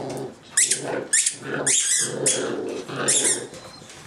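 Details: Boxer puppies, three from one litter at 9 weeks old plus a 13-week-old female named Edna, playing indoors: low rumbling growls broken by sharp, high yelping squeals about every half second.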